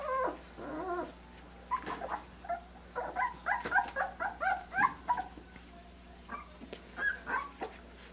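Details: Litter of puppies aged three weeks and five days whimpering and yipping while getting their first taste of puppy mush; overlapping high, wavering whines and short yelps come in quick irregular bursts, with a steady low hum underneath.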